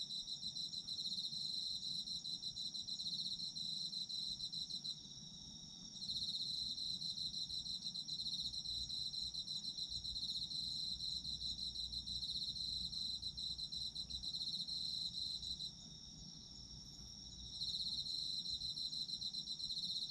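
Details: Night chorus of autumn insects for sleep relaxation: continuous high-pitched pulsed trilling from several callers, one layer falling silent twice for roughly a second or two each time, under a gentle low rumble.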